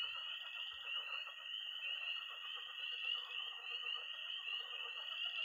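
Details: Night chorus of tree frogs, toads and pond frogs in early spring in Missouri: a dense, continuous high peeping and trilling band with mixed lower pulsing croaks beneath, steady throughout.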